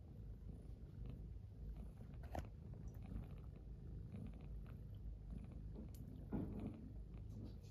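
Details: Low continuous purring rumble from the cats Ginchan and Pochakun, snuggled together by an oil heater on a cold morning as Ginchan wakes and is greeted, with a couple of brief soft higher sounds mid-clip.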